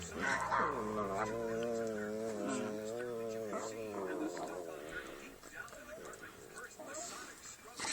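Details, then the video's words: Playing dog producing a long quavering howl-like whine with rapid pitch wobble, fading into a noisy background after about four seconds. "Dogs and funny sounds"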